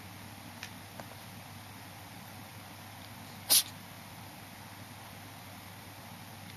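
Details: Kitten giving one sharp, sudden sneeze midway through an otherwise quiet stretch with a steady low background hum.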